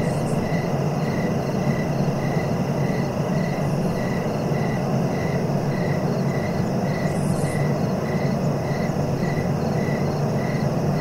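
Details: Short, high cricket chirps repeat evenly, a little under two per second, over a steady insect drone and low rumble, with a couple of brief faint higher sounds near the start and middle.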